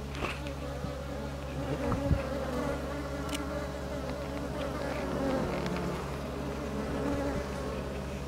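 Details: Hive hum of Japanese honey bees as a new box is added to their tiered hive, recorded 27 March 2015; a continuous low buzzing drone with a busier, rustling mid-range texture and a few sharp taps.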